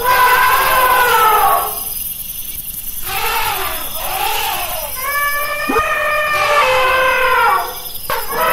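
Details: Elephant calls come as brassy, wavering blasts, broken by short quiet gaps, with a rough squeal near the end.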